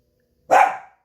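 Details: A dog gives a single sharp, loud bark that cuts off quickly, barking indoors at a large flock of wild turkeys coming down the driveway on a cool September morning around 9:30, with a faint steady hum behind.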